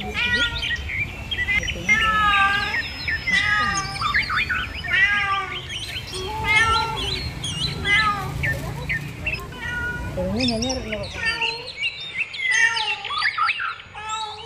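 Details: A mother cat and kittens calling in a dense chorus of short, rising-falling mews repeated every second or so, over a low rumbling background with faint voices; a few longer, lower meows and chirping birds follow near the end.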